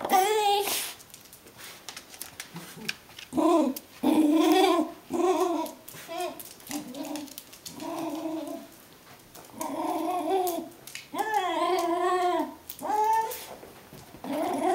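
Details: Brittany Spaniel greeting its owner at the door on coming home, indoors in a small room; bursts of high, wavering whines and yips with rising and falling pitch, separated by short pauses, with faint background noise.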